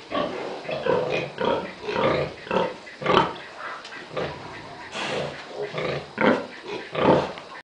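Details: Domestic pig vocalising: a steady run of low, nasal grunts repeated roughly every half second to second, some louder and rougher than others, with no other clear sounds.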